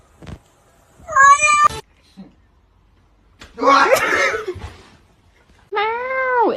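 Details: Domestic cat meowing indoors: a loud, drawn-out wavering meow, then a rough, broken cry, then a long meow rising and falling in pitch, with people talking nearby.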